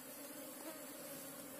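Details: Apis cerana bees buzzing from their nest in a ground hole during removal of the colony, a continuous steady drone with a low hum and a brighter overtone above it, unbroken throughout.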